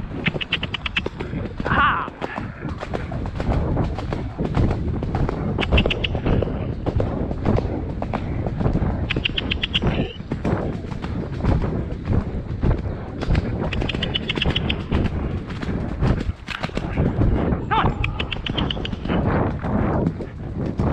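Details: Shire horse De Goot Damon of Ostsee Shires, on a 2 May trip to collect a new boarding horse from Falkendorf after early rain: steady, rapid clopping hoofbeats throughout, with short bird chirps and a brief human voice.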